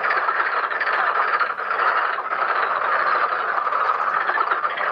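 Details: A dense chorus of many Black-spotted pond frogs at a pond during mating and egg-laying, overlapping rattling croaks merging into one continuous roar.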